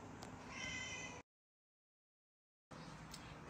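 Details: Baby kitten with a sore eye, given eye drops every day, lets out a short high-pitched meow lasting under a second, followed by abrupt silence, then faint room noise.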